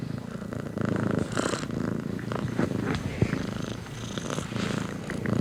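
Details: Close cat purring, a low throbbing rumble with rapid even pulses, rising and falling gently in loudness with the breathing, plus a few faint clicks.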